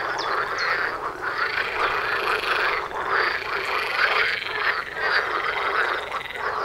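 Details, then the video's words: Frogs croaking en masse outside a front door, an unbroken rattling chorus of overlapping pulsed calls, a few higher chirps near the start. "Froschkonzert vor der Haustüre"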